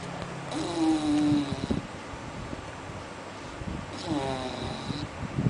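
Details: Sleeping dog snoring: two long, rasping snores about three and a half seconds apart, each carrying a faint whistling overtone, with light rustling between them.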